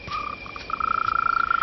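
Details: A mole cricket's courtship song, a pure, steady whistling trill, rapidly pulsed and remarkably clean in tone, amplified by its Y-shaped burrow that fans out like a gramophone horn.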